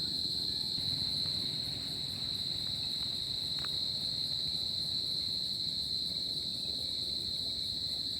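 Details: Crickets sing on a summer night: one constant, high, ringing trill that holds level from start to end over a quiet low hum.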